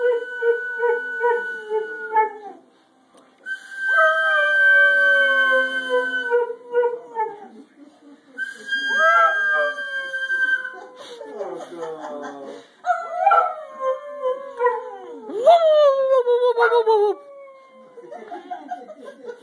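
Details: A pet dog's drawn-out howls, held notes bending and falling, several separate bouts with brief pauses, ending in rising-then-dropping wails; faint voices in the background.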